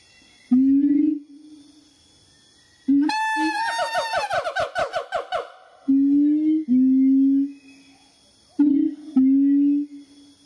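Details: Siamang named Wawa vocalizing indoors, described as telling stories: a steady low hoot, a pause, then a fast accelerating series of sharp harmonic barks that rise and descend, before paired sustained hoots return.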